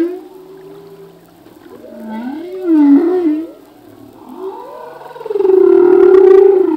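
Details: Male humpback whale singing: a sequence of wavering, gliding moans and cries, rising and falling in pitch, building to a loud sustained tonal wail near the end, with soft underwater background noise.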